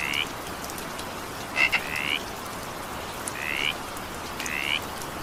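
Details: Evening rain with frogs: a handful of short rising, raspy notes, one pair introduced by sharp clicks, set against steady rain hiss and scattered drips.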